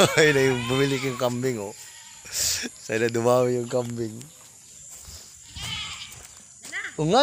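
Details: Goat bleating in Mindanao, Philippines: two long tremulous bleats with a shaky, vibrato quality, separated by a pause, then faint rustling and a short call at the end.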